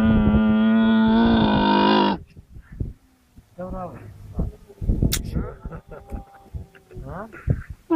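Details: A baby camel with its mother gives a loud, drawn-out moaning bleat, steady in pitch and then suddenly cut off.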